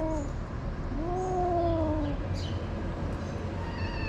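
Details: Stray calico cats on a street in Morocco attacking a kitten: a long, drawn-out wailing yowl slides and wavers for about a second, then a short second cry near the end, over steady low street rumble.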